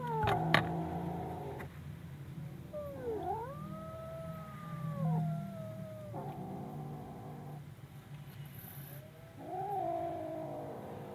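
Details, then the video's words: Fearful kitten heard through a strong low rumble, giving a few quieter arched wails that rise and then fall, spaced by pauses. "This baby cat roars in fear"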